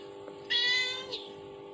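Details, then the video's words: A single high, sustained meow from the mother-cat call played on a phone to kittens, lasting about half a second with a slight drop at the end, over a steady hum. "Reaksi Anak Kucing Mendengar Efek Suara dari HP || Suara Induk Kucing"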